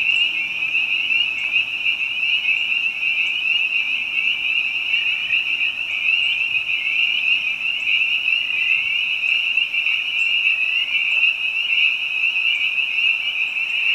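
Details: Spring peepers and other frogs singing in spring behind a house, the high piping calls packed so densely they form one constant trilling drone, with occasional faint clicks above.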